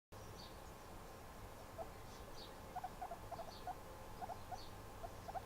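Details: Guinea pig chilling indoors, giving soft, short, high squeaks in small clusters from about two seconds on, around a dozen in all, with faint higher clicks and a low steady background hum.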